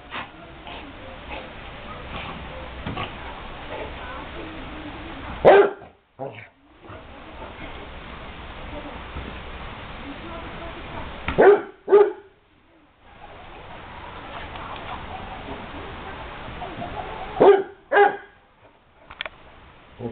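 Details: A Basset Hound at play gives deep, loud barks, mostly in pairs, every few seconds over steady background noise; Basset Hound.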